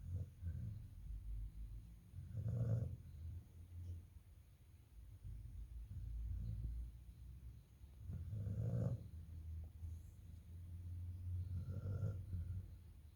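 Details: A sleeping pet Rottweiler snoring indoors: low, rough rumbling snores swell at about 2.5, 9 and 12 seconds, with softer throaty breathing between them and a faint steady hum underneath.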